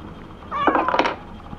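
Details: Toku, a cat at the Aicat Sendai cat café, stubbornly refuses a nail trimming and lets out a single wavering, drawn-out meow lasting just over half a second in a small indoor room.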